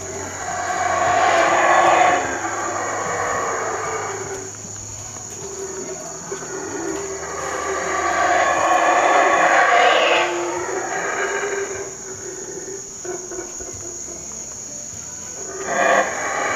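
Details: Howler monkeys at Palenque, Mexico: deep, rasping roars that swell and fade in long waves, loudest around two and nine seconds, over a steady high-pitched insect drone.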